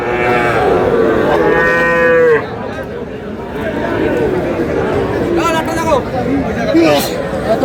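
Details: Sahiwal bull calves at a livestock market in Dhaka, Bangladesh, on 19 May; a loud, drawn-out harmonic moo in the first two seconds, then quieter market noise with people bargaining and chattering nearby.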